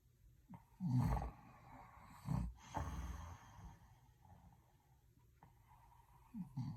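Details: Sleeping dog snoring: low, rough, rattling breaths around 1, 2.5 and 3 seconds, then a quieter stretch, with another snort-like breath near the end.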